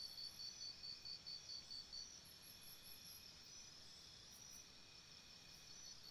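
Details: Crickets chirping at night by a campsite: a high, thin pulsed trill in bursts for the first two seconds, then a steadier high ringing chorus with faint higher chirps above, over a soft background hiss.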